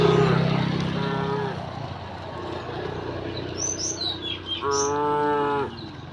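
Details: Herd of cows returning home along village streets on a bright morning; a fading moo at the start, then a clear, steady one-second moo, with brief chirping birds and ambient rumble.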